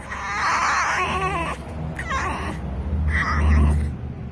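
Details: Dixie, a rescued female fox, squealing with excitement while being petted: a long, wavering, whiny squeal with quivering pitch, then two shorter squeaky bursts after a pause, over a low steady hum.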